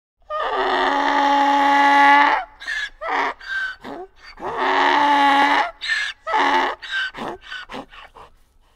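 A donkey screams out a loud, harsh bray: long rasping blasts broken by choppy, gasping hee-haw pulses.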